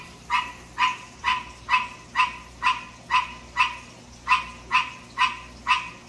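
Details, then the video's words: Night-time calling of a captive male green tree frog: a steady run of twelve short, honking croaks, evenly repeated about twice per second. "Green Tree Frog Song"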